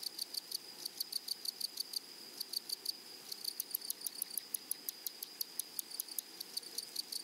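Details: Meadow grasshoppers among flowers produce a brisk series of crisp, scratchy ticks, roughly five each second, with a brief pause near two seconds, above an unbroken high-pitched buzz.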